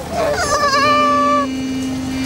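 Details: Newborn two-headed goat in Maharashtra, India, eight days old, born 18 December 2017, which bleats with both heads: one loud wavering, nasal bleat lasting over a second, then a steady low hum as a man talks nearby.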